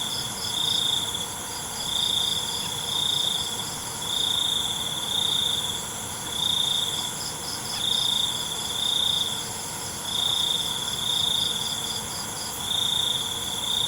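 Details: Night crickets sing short, piercing high trills in quick pairs about once a second, evenly pulsed, against a continuous background hiss of other insects.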